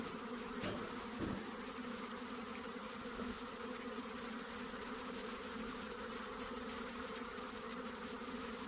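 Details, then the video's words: Honey bees humming at their hive boxes, a dense steady drone thick in the low-middle range with a few brief clicks and knocks near the start, continuous throughout. "Honey Bees Sounds | Bees Sounds | Bee Buzzing Sound Effect"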